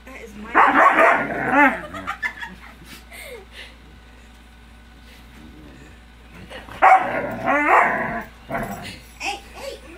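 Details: Siberian Husky indoors after stealing a blanket, giving loud harsh bursts of barking and grumbling around one and seven seconds, with quieter whines and a steady low hum between them.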